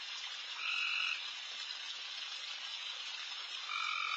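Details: Late-night backyard frog chorus, many loud frogs all around: a constant sizzling wall of high calls, broken twice by a louder, nearer frog giving a short, steady two-toned note, once early and again at the end.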